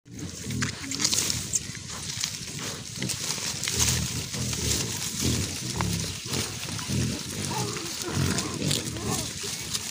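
A wild boar gives low, rough grunts and snorts in uneven bursts against a hissy background.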